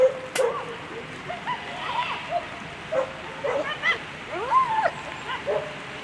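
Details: German Shepherd Qüken v d Donnerbrücke running a World Championship agility course, giving excited barks and yips, short arched tones repeated at uneven intervals over a steady background of crowd and arena noise.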